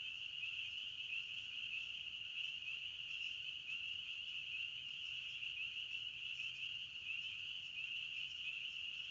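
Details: Crickets in a forest keep up a continuous shrill chirping, a single high band of overlapping trills, level and unbroken from start to finish.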